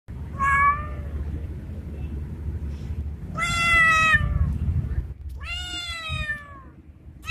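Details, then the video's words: Male street cat resembling a Bengal, calling a female during mating season: three drawn-out, wavering meows with strong harmonics, the middle one loudest and longest, over a steady low rumble of outdoor urban background. "Male Cat In Heat Sounds | Male Cat Calling Female | Male cat mating call sound effect|Male Cat Voice"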